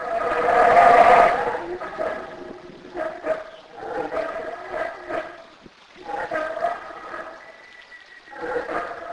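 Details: Black howler monkeys in Belize with a loud, rasping roar at the start, then rhythmic, pulsing harmonic grunts that come in clusters with short pauses.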